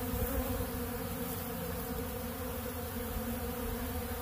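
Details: Honeybees feeding together on ultra bee pollen from a large blue feeder, heard as an unbroken low drone, rich and steady, without pauses across the short stretch.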